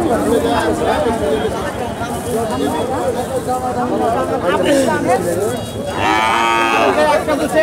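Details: Cattle with calves at the Bottola cattle and goat market, Chapainawabganj, recorded 18 January 2019: overlapping moos in a busy, noisy crowd, with one clear drawn-out bellow near the end and constant market bustle and voices.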